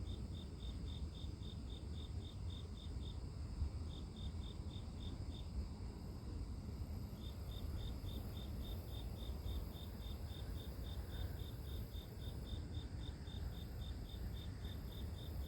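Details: Grass insect sound used as sleep-inducing white noise: rapid high chirps at about three per second, pausing briefly twice in the first half before running steadily on, over persistent low rumbling background.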